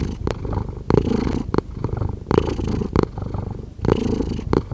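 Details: Low, rolling purr of a cat with louder pulses on each breath, interrupted by crisp taps and rustles from close handling of the microphone.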